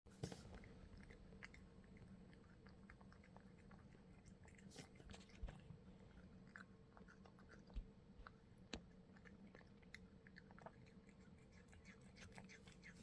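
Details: Pet cat eating greedily indoors in a small room: steady soft chewing and crunching with sharp clicky bites scattered throughout, over a low constant household hum.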